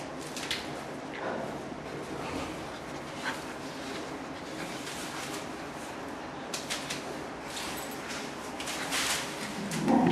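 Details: Two captive chimpanzees playing together at a zoo in Nagoya, Japan, recorded in May 2016, now and then laughing: soft, breathy, irregular bursts over a steady background hiss, with a louder noisy burst at the very end.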